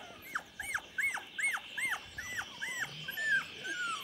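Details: Chocolate Labrador puppies, 24 days old, filmed 8 November 2014: a rapid run of high, thin whines, each sliding downward, about two or three a second, with quieter rustling beneath.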